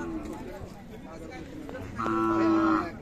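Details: Khillar cattle at a cattle market in Sangola, recorded 12 May 2024: one short, steady moo of under a second near the end, over a constant background of crowd chatter.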